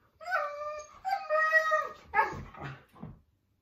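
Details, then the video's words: Siberian Husky making a complaint to its owner with a vocal 'talking' sound: two drawn-out, wavering tones with rich harmonics, followed by three shorter, falling yelping moans that trail off. "Husky talking"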